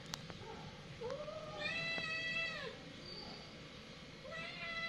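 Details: Domestic cats fighting: drawn-out, wavering yowls with rich harmonics, one long cry over a second and a half and a shorter one rising at the end, over a steady low background hum.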